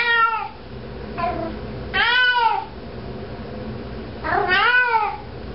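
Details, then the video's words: Cat carrying a sock around the house, meowing; a loud meow, a faint shorter one, then two more full, arching meows, uneven spacing, muffled indoor background. "cat walking around with sock meowing"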